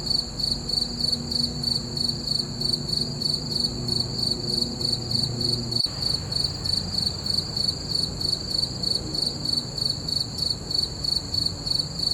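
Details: Night-time cricket chorus beneath a full moon, rapid high chirps pulsing roughly three times per second throughout, with a soft low hum and a brief click near the middle.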